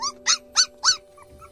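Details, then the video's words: Abandoned newborn puppies, teeth not yet grown, left early in the morning in a rural village and crying for food; four short high squealing cries, each rising then falling, about every 0.3 seconds, with a faint steady hum behind. "Puppies Were Abandoned Without Teeth And Are Crying For Food. They Miss Their Mother’S Arms."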